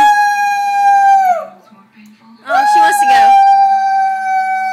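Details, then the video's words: A male dog holds a steady, loud howl, lets it slide down and fade, then after a quiet moment breaks into a wavering note that settles into another long, level howl. "Dog howling"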